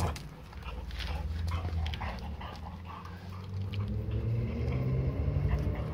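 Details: Scout, a pet dog, with a favourite summer treat of zucchini: a low, continuous rumbling growl with steady harmonic bands that swell and fade over several seconds, with light clicks and rustles over it.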